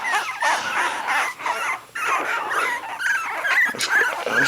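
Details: A litter of three-week-old puppies spread out on a cold blanket away from their mother, complaining in a dense chorus of thin, rising and falling whimpers that pause briefly twice.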